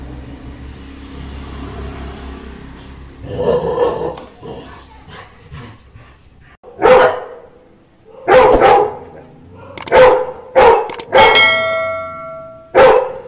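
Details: A yellow Labrador Retriever gives loud, deep barks singly and in short bursts at night, barking on hearing street dogs bark.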